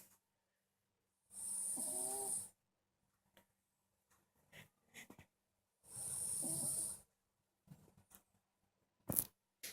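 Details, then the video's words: Marusya, a pet cat, snores while asleep indoors: two long hissing, rasping breaths about four seconds apart, each carrying a thin wavering whine, with small rustles and a sharp tap between them. "Кошка Маруся храпит"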